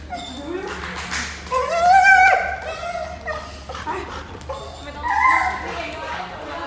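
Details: A happy Golden Retriever at the vet's office, treating it like a playground, gives high, wavering whines and yips while people talk nearby.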